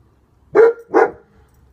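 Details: Protective male German Shepherd, back leg bandaged, gives two loud, deep, rough barks in quick succession about half a second apart, with a faint low rumble before and after.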